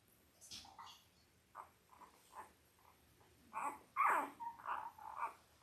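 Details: Indoor live puppy cam of Belle's five-day-old Labrador Retriever litter, five males and three females born October 15, 2023: short high squeals come in scattered bursts, grow louder and quicker toward the end, with light rustling between.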